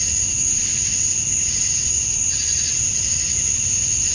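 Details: Outdoors in Georgia, USA, on a summer evening at dusk, male cicadas chirp for females in a dense, steady high buzz, its upper shimmer swelling slightly midway.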